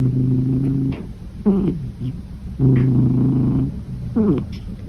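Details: A sleeping cat snoring. Low, steady, buzzing snores last about a second each and come roughly every two and a half seconds, with a short rising breathy sound between them.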